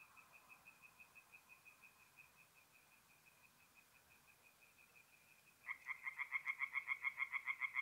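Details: Forest pond at night in mid-April in north-east Italy, where tree frogs sing. A steady stream of quick, distant croaking pulses runs throughout, then a close, loud frog joins with rapid, harsh, evenly spaced croaks that keep going until the end.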